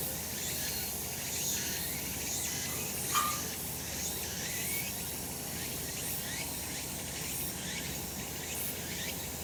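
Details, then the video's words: Cicadas in a sunny spot on a summer mountain, shrilling in a steady buzzing wall with rhythmic pulses and rising strokes; one short clear note cuts in briefly midway. "セミの鳴き声 夏の山 日なた"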